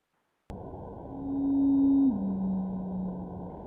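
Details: Blue whale song played for comparison, a steady hum followed by a noticeably lower one, illustrating how blue whale voices have dropped about three white piano keys in recent years.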